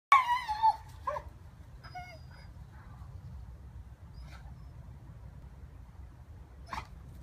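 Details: A 16-month-old Rhodesian Ridgeback in Gunnersbury Park, London, vocalising at squirrels: a loud, wavering high whine opens the clip, then brief yelps and squeaky whimpers spaced over several seconds, with low background rumble.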